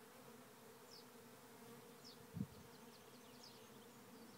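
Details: Thousands of bees swarming into a trap hive in Rathcabbin, Tipperary, Ireland; a steady humming drone, one dull thump midway, and scattered faint bird chirps.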